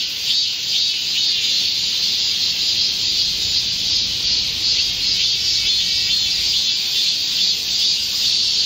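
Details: Korean cicadas in a green summer forest during a July 2024 heatwave, many singing together: a constant shrill hiss-like drone with gentle swells in intensity.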